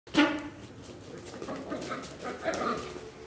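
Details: Miniature Pinscher playing with a ball gives one sharp, loud bark near the start, followed by softer, fainter vocal sounds and light indoor noise.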